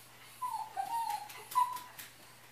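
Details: ['Puka, a pet dog left alone at home while its owner is away, whimpers indoors: thin high whines, one drawn-out falling note, a short dip, then a level whine and a brief final rise, over quiet room hum.']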